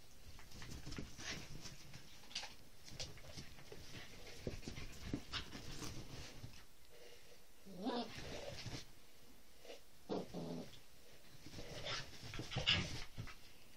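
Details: Two pet Whippets, Roxy aged three years and seven-week-old Lilah, playing rough together: broken grumbly growls and panting bursts, with rustling and scuffling between them and a brief sharp squeak near the end.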